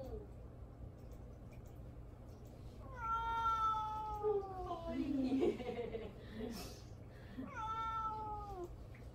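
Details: Mamedaifuku, a house cat, meows to be noticed while ignored indoors: a long wavering meow of about two seconds with a short grumbling sound after it, then a second falling meow; brief human voice in between.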